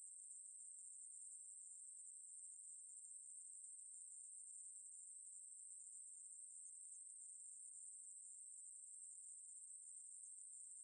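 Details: Ruspolia katydid (maebuori) singing: a continuous, unbroken high-pitched buzzing trill held steadily throughout, with no other sounds.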